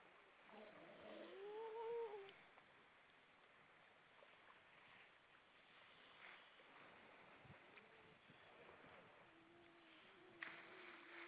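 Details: Grey seals on Vilsandi, Estonia, with many above the water on an evening of 25 September 2012. A brief wavering moan rises and falls near the start, followed later by a quieter, low, drawn-out steady tone over soft background hiss.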